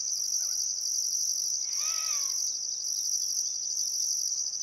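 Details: Sunset cricket chorus in Outback Queensland's Welford National Park by the Barcoo River, still summer afternoon: continuous shrill buzzing with a pulsing higher layer, interrupted by a short dipping bird note and one arched bird call.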